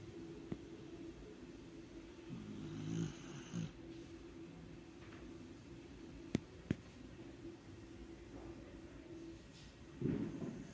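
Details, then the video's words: Melissa, a sleeping dachshund, snoring softly: a steady, low, raspy drone with slightly louder snorts around the third and tenth seconds and a few sharp clicks between. "Melissa dormiu de roncar"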